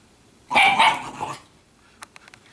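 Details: Italian Greyhound females in everyday play with each other give one short, rough snarling vocalization lasting under a second, followed by quiet and a few faint clicks.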